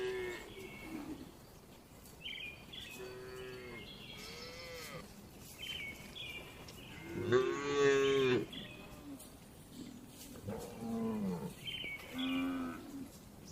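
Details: Dozens of gentle cows resting and eating inside a well-kept livestock barn; several moos from different animals overlap, mostly moderate, one louder drawn-out bellow in the middle, with quieter distant lowing throughout.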